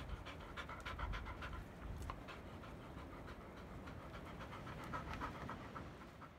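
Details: Heavily pregnant field-type Labrador Retriever shortly before giving birth, panting indoors: rapid, breathy, rhythmic huffs at roughly three per second, steady throughout with low background rumble.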